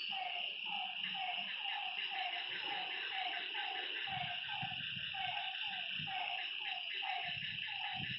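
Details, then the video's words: At night beside a lake, frogs give a steady train of brief dropping notes about twice per second, under a loud unbroken insect buzz, with soft low thumps and rustles scattered through. "Lakeside night creatures and frog sounds"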